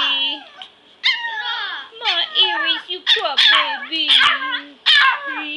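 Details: Pomeranian puppies, five of them, at play around someone lying on the floor. Shrill yips and whimpering squeals come in bursts, some long and wavering, others short and sharp, in a small room.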